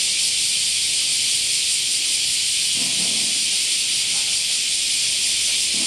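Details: In summer, cicadas in chorus make a dense, unbroken high buzz that holds steady from start to finish.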